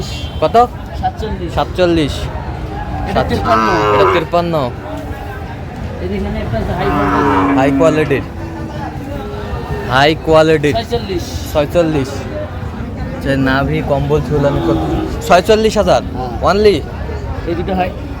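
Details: Sahiwal breed bull calves and cattle at a busy market in Shariatpur, Bangladesh, on 16 June 2025: repeated deep, drawn-out lowing moos rich in overtones, several overlapping, amid chatter and shouting of market crowds.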